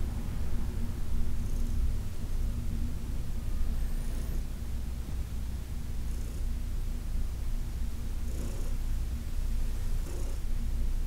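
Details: Senior cat Heidi, once a Humane Society of New York City resident, rumbles in a continuous deep purr while massaged on August 4, 2021; faint rubbing strokes break in now and then above it.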